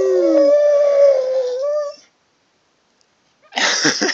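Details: Dog howling in reply to a person howling: a long, steady, slightly wavering tone lasting about two seconds and lifting at the end, with a lower voice overlapping at the start, then silence and a short burst of rough noise.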